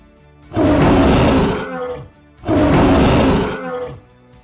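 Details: Tiger roaring twice, each a broad rumbling roar over a second long, separated by a short gap, with faint music underneath.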